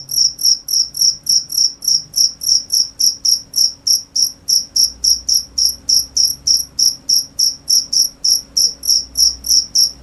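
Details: Cricket chirping steadily, short high-pitched pulses repeated about three to four times per second in an even, unbroken rhythm, with a faint low hum beneath and no other clear sounds.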